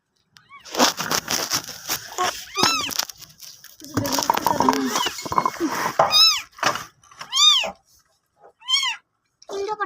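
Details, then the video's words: Cat indoors while giving birth to kittens, with newborns being counted: about five arching, rising-then-falling meows spaced a second or two apart, mixed with excited people talking close by and some handling noises. "বিড়ালের বাচ্চা প্রসব"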